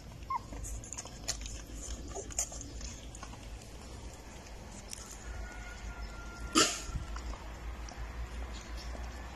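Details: Golden Retriever puppies, nine days old, jostling to suckle from their mother, give scattered faint whimpers and one steady thin whine, followed by a single sharp loud yelp, over steady shuffling and rustling.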